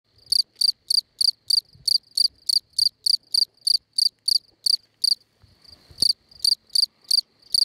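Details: Field cricket at La Brenne, France, on 20 May 2011; a shrill, high chirp repeated about three times per second in a steady series, with one short break midway.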